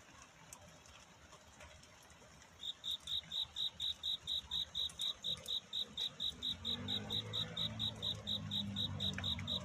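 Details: Cricket singing on a night of courtship, its song a search for love rather than weeping, at a dawn scene. Sharp, high chirps start after a quiet opening and repeat about four times a second. Low rumbling noise rises beneath them near the end.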